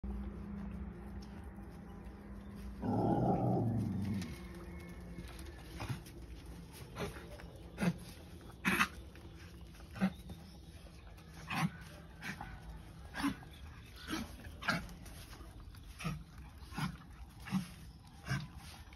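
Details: Puppy vocalizing, opening with a loud rough burst, then short sharp yips and whimpers repeated roughly every second against low background hum.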